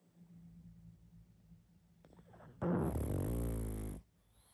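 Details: Pug sleeping and snoring loudly: soft low breathing gives way to a single strong, rattling, buzzy snore of about a second and a half, then quiet.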